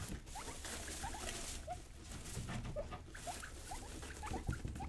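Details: Two young pet guinea pigs being wild and playful, giving short, soft rising squeaks scattered through a steady background of rustling and pattering.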